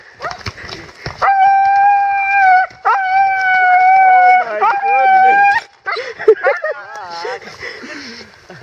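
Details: Roxie, a female Siberian Husky in Staunton State Park, Colorado, excited by horses during a downpour, gives long steady howl-like whines held for over a second each, then breaks into quick wavering yips and whimpers; a person speaks briefly.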